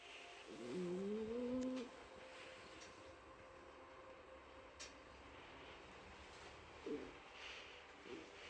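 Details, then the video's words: Mike, a pet cat, snoring while asleep at home: one whistled, tonal breath lasting about a second with a slight upward slide, then quiet room hiss and a faint soft sound near the end. "家の猫ちゃん ミケさんのいびき"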